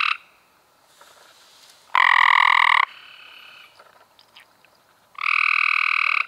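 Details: Cope's gray treefrogs recorded in May 2016: two harsh, buzzy trills about a second long each, separated by a few seconds of quiet with faint background rustles.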